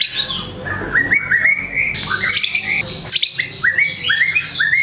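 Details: Caged white-rumped shama in full song, used to stimulate lazy birds to sing: a series of rising whistled slurs repeated several times, mixed with harsh buzzy and chattering phrases, with some background noise.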